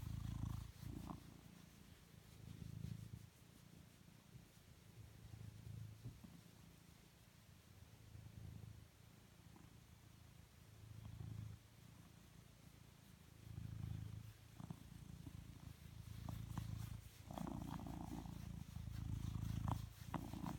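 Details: A blue British Shorthair cat purrs steadily, a deep, low rumble rising and falling with each breath.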